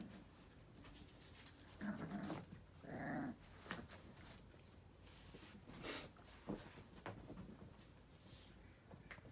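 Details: Male Yorkipoo puppy Luffy, a Yorkshire terrier and toy poodle cross, playing indoors with a WALL-E toy: two short growling bursts near the start, then scattered clicks, thumps and chewing noises.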